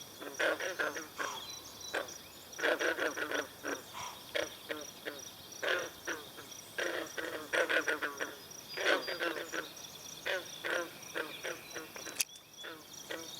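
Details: Green frog chorus at a pond in Brillion Nature Center, with swallows drinking. Bursts of short, banjo-like croaks from several frogs overlap and pause irregularly. Faint high chirping carries throughout, and a sharp click comes near the end.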